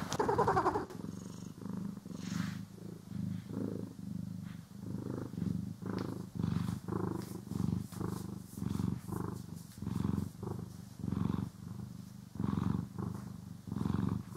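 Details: Domestic cat purring while being groomed and brushed, recorded in stereo: a low, rumbling purr pulsing in steady breaths about twice every second and a half, with faint brushing swishes and a soft scratchy sound near the start.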